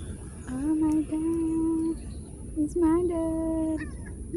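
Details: Street cat met on a walk and greeted, giving two drawn-out meows, the first steady and long, the second rising then level, over a low rumble of background noise.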